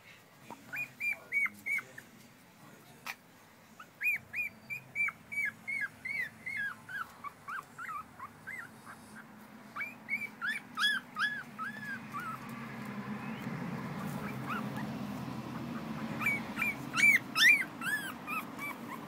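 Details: American Schnauzer giving high, arched whimpering whines in irregular bursts, several per second, with pauses between runs; a steady low rumbling background grows louder in the second half, where the whines become fainter and then return stronger near the end.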